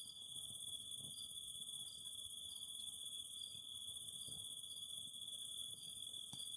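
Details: Cicadas singing near a fire: a constant shrill drone with a hissing upper band, punctuated every second or so by brief chirps, plus faint low crackling and a sharp snap near the end.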